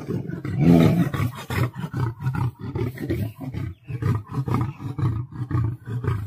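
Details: Lion locked in a fight with a tiger: dense, overlapping low growling roars, loudest near the start, then rapid throaty pulses continuing without pause.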